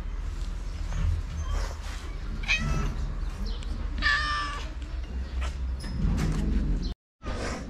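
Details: Stray cats in Morocco arriving one after another for their share when food plates are put down; a single short meow midway, with scattered fainter mews, rustling and steady low background noise.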